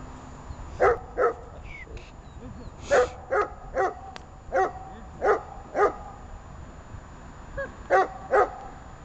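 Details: Dog barking during obedience training with Arma and Buffon: short sharp barks, singly and in pairs, about a dozen across nine seconds with brief pauses, over a low steady background hum.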